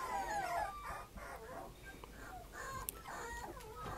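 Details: Puppy 65 days old whimpering: a high thin whine sliding downward at the start, followed by a string of softer short whines and yelps through the rest, faint and slightly noisy.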